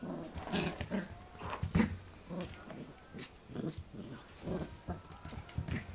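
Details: Pembroke Welsh Corgi puppy playing with a human hand, recorded 8 November 2014 indoors; rough, low growling bursts in uneven spurts, mixed with rustling and handling noise.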